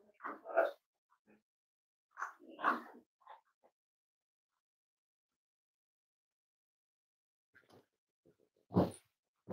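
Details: Cavalier King Charles Spaniel puppies, almost 8 weeks old, in a family home: short bursts of squeaky yips and whimpers, two clusters early on, a long quiet stretch, then more yelps near the end.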